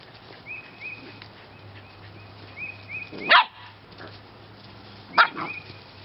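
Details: Rescue puppies of the J litter, March 2017: two sharp, loud barks about two seconds apart over a quiet background, with faint, short, high chirping notes repeating throughout.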